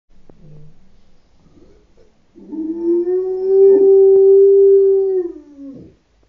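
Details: Pet dog howling at an ice cream van's tune: a faint whine first, then one long, smooth, tonal howl lasting about three seconds, held steady before sliding down and breaking off at the end.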